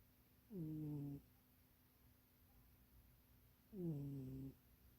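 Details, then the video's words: Domestic cat named Munchie asleep and dreaming, curled in a too-small box; two drawn-out, descending nasal snores about three seconds apart over a faint constant hum. "Munchie kitty snoring and dreaming"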